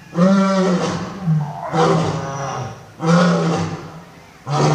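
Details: Old and young lions roaring: deep, droning roars with low steady tones, overlapping rougher bursts, three main swells within a few seconds and another starting at the end.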